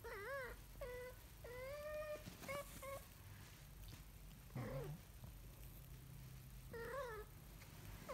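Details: Kitten learning to walk gives a run of high, tonal meows, some short and some drawn out and slightly rising then falling, about six calls in eight seconds, with one lower, rougher cry midway and quiet room noise between.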